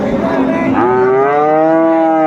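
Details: One drawn-out, clear moo from cattle at a Dinajpur livestock market, Ambari Haat, 22 April 2024, selling Friesian and crossbred bull calves; the bellow rises slightly then holds level for over a second after brief background chatter.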